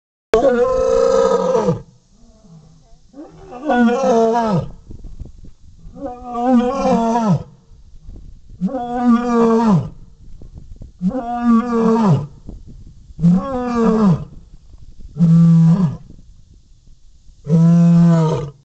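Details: Captive lioness replying to a male, a series of eight deep, moaning roars, each about one to two seconds long with harmonic, falling ends, spaced roughly two seconds apart, growing shorter toward the end.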